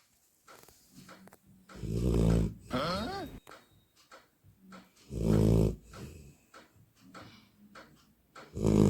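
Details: A sleeping Labrador Retriever puppy snores like a human: deep, rumbling low snores swell and fade in long breaths about every three seconds, with a raspy whistling rise in between and soft breathing noise.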